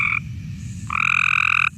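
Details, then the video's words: Male Cope's gray tree frogs giving a harsh, buzzy mating call to attract females, harsher than the Eastern gray tree frog's and almost angry in tone: a short buzz, a pause, then a longer, steady, flat buzz of nearly a second. "That's the males trying to attract the female."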